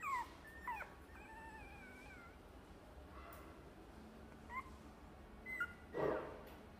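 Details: Chihuahua giving a few high, thin whimpers and short yips, tonal calls sliding downward, spaced out over several seconds with quiet gaps and a louder burst near the end against a soft room hiss.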